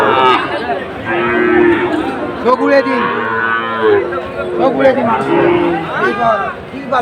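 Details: Sahiwal bull calves at a busy cattle market in Cumilla on 17 August 2024 give drawn-out, arching lowing calls, several overlapping in waves, set against a steady crowd chatter and men talking nearby.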